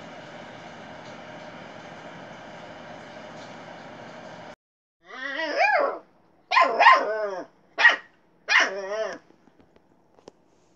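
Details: Little Bear, a Siberian Husky, gives four wavering, harmonic yelping barks in quick bursts, each rising and falling in pitch, after several seconds of steady droning hum; faint clicks follow in near silence.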